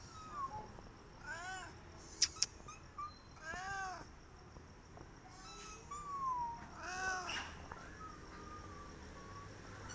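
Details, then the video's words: Stray cat pleading for food with several short, arched meows spread across the recording, mixed with sharp clicks and a faint high steady tone. "Stray Cat Hissing At Me But Asking For Food"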